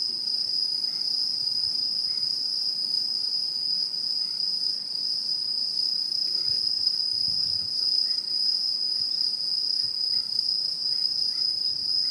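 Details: Autumn insects singing in Japanese satoyama countryside, 2016: a steady, unbroken high ringing trill holds at one pitch throughout, with a faint upper overtone and scattered soft chirps beneath it.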